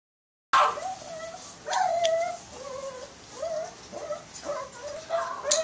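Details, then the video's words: Shih Tzu named Chiiro whining in a series of high, drawn-out nasal whimpers that rise and fall, several separate cries over a few seconds, with faint background voices. "shih-tzu chiiro"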